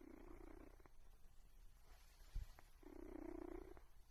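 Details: A cat purrs in two low, even rumbling stretches, one at the start and one near the end, with a short quiet gap and a soft thump between them.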